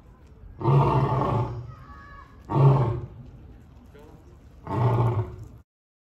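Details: A 9-year-old male African lion at a zoo gives three deep, rumbling roars, each about a second long and spaced two seconds apart.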